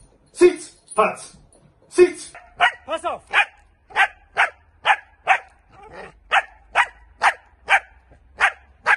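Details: A trainer speaks at the start while a Dutch Shepherd is put through training. Evenly spaced, punchy barks then run at roughly two per second to the end.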